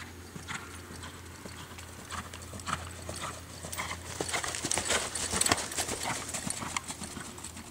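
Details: Reining-bred American Quarter Horse gelding, born 2007, producing clip-clop hoofbeats that build from soft sparse knocks to a louder, denser run of strikes, over a faint steady hum.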